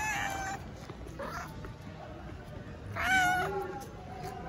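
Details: A stray tabby cat living on the street in Istanbul gives three short, bright, slightly wavering meows with a soft rise and fall, asking for affection and food, with faint background noise between them.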